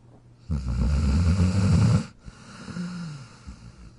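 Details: Jack the dog, asleep in his dog bed, gives one long, loud, low rattling snore lasting over a second, followed by a quieter wheezy exhale with a faint rising whine, over a constant low hum.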